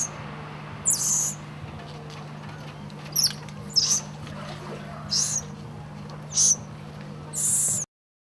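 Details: Golden lion tamarins, two babies hugging and clinging to their mother: six short, very high-pitched squeaky bursts spaced about a second apart over a steady low electrical hum.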